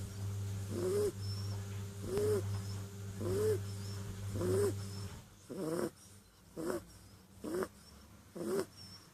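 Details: Clint, a sleeping kitten, snoring: soft, slightly tonal wheezy breaths repeating about once every second and a bit, eight in a row, over a steady low electrical hum that cuts out halfway through.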